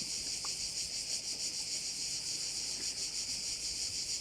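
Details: High, insistent cricket chorus at a bay on Korčula, a steady sizzling drone beating in quick regular pulses, background otherwise quiet.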